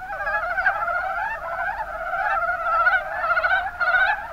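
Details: Mountain brown frogs in the Kuma Basin, Kumamoto, Japan, calling in a dense chorus: overlapping rapid, chuckling croaks form a steady rattling mass, swelling slightly near the middle and end.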